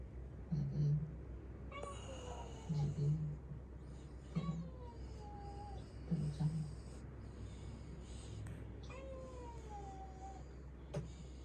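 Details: Domestic cat, a rescued tuxedo kitten, meowing repeatedly: four short descending cries spaced about two seconds apart, interleaved with soft human voice and low indoor hum.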